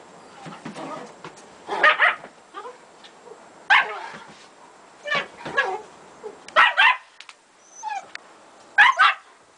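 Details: German Shepherd Gretta playing with her puppies: short, sharp bark bursts with higher yips and brief whining squeals, arriving in separate clusters about every one to two seconds against a quiet background.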